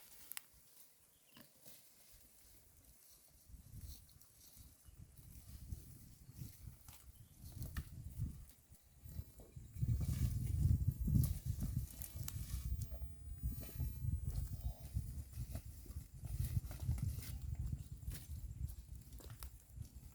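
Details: A herd of cows grazing green grass at a roadside, with steady low tearing and munching sounds repeating about twice a second.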